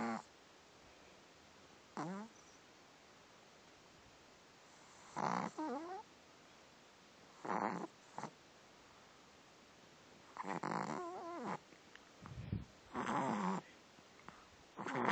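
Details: A French Bulldog puppy snores lightly in raspy, snorting bursts every few seconds.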